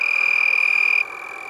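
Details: Several lacewings vibrate their raised wings around 10 p.m. on 8 November 2021 in San Marcos, Texas, making a steady, high, buzzing trill that sounds like a tree frog.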